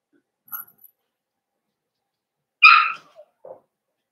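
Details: Blenheim Cavalier King Charles Spaniel puppies, a litter of five born at New Year to Paris and Spike, in an indoor puppy pen at home; one sharp, bright yelp rings out after a faint squeak, followed by two short, soft whimpers.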